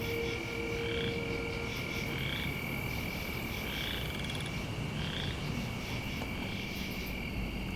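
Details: Chorus frogs, possibly boreal or western, give short, rising, comb-like trills every second or so at night in a rainy autumn swamp beside farm fields, over buzzing katydids, crickets and grasshoppers and a low rumble.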